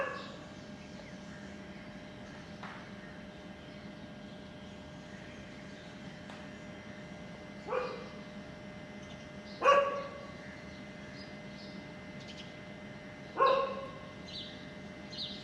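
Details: Dog recorded around a puppy feeding on milk from its mother; three short, sharp barks or yips come about two and four seconds apart, each with bright stacked overtones, over a steady low hum and faint background.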